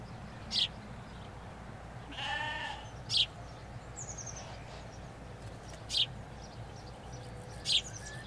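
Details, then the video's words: Ewes and lambs grazing a Hampshire countryside field, heard from a hedge: one nasal, quavering bleat midway, set among loud, regular bird chirps about every two and a half seconds and a steady background hum of distant road traffic. "4K Sheep Field - One Hour Sound and Video"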